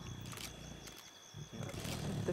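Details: Lion pride feeding at night in South Luangwa National Park, Zambia, July 2007, with a young male among the feeding females; deep, continuous rumbling growls that dip briefly at mid-clip, then swell louder toward the end.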